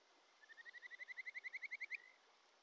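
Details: Japanese stream frog, a wild Kajika frog, calling by a Shin'etsu mountain stream in early July: a trill of about fifteen whistled notes that grow steadily louder and end in a short sliding whistle, over a background hiss of flowing water.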